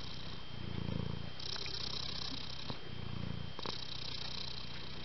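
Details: A gentle, affectionate young female cat purring: a low, throaty rumble that pulses with each breath, two clear swells over five seconds, with a faint steady high tone behind it.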